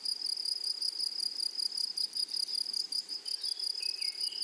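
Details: Meadow grasshoppers: a continuous high, shrill insect buzz broken into fast irregular pulses, with a short rising whistle near the end.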